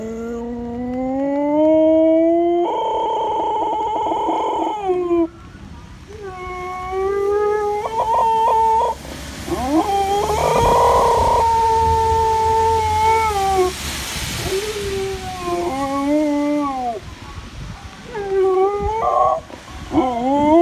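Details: Dogs howling together in long, wavering tonal notes, several voices overlapping with rising and falling pitch, some notes held steady for seconds, others bending and breaking off, across about twenty seconds.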